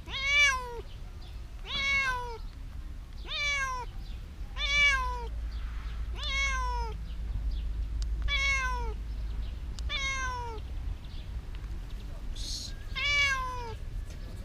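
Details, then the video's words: Hiding domestic cat meowing repeatedly: ten short, clear harmonic meows, each slightly falling at the end, spaced about every one to two seconds, over a low steady background hum. "Hiding cat meowing"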